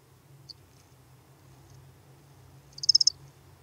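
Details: Lesser field-cricket at Breitenbrunn, Austria, 23 May 2021: one faint tick, then a single bright chirp of about five rapid high pulses near the end, over a steady low hum.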